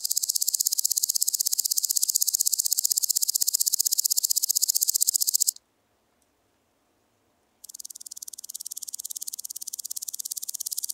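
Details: Woodland grasshopper (Omocestus rufipes) singing at Gaisberg, Austria, on 15 September 2023: a dry, high buzzing chirr of rapid even pulses, broken by a two-second silence before the ticking stridulation starts again, slightly softer at first.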